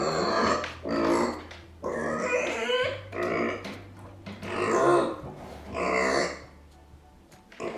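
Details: Arya, a pet micro pig left behind and angry, gives repeated harsh, rough squeals in bursts about once a second, separated by short gaps, over a low steady background hum.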